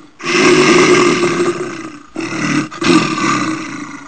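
A brown bear gives a deep, rasping roar, then a second shorter burst after a brief pause.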